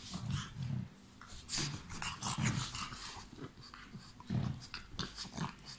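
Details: Pug growling while playing and biting: low rumbling growls in short bursts, several spaced under a second apart, mixed with snorting breaths and scuffling noises.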